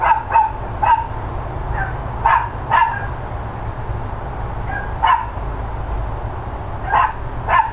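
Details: Recorded around 10 AM on 13 October 2012, neighbours' dogs give sharp, ragged barks, singly and in pairs, about one every second or two, some quieter and more distant, over a low constant hum.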